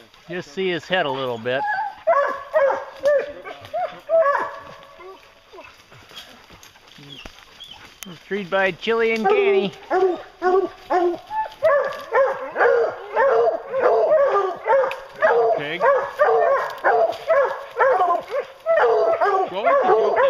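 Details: Hounds on a bear hunt, baying: a quieter stretch gives way to a steady run of loud, ringing bawls repeated roughly twice a second, overlapping one another.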